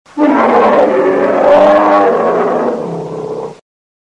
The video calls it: Grizzly Bear